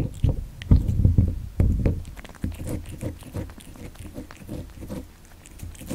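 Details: Kitten born in December 2019 eating cat candy indoors, close up: wet crunching and smacking bites in irregular bursts, loudest in the first two seconds, then softer steady chewing in a small quiet room.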